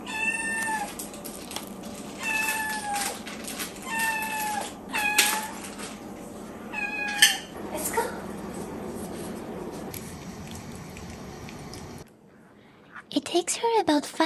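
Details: Miyu, a four-month-old kitten, meows during her morning routine at home while her breakfast is prepared: a series of short rising-falling meows in the first eight seconds, then quieter room sounds, a brief silence and a final scrape-like burst.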